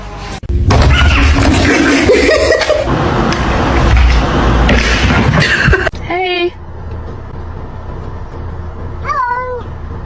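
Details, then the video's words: A pet cat makes two short, wavering meows several seconds apart after a stretch of loud rushing noise and voices; the second call rises and falls sharply. "kitten meowing cute"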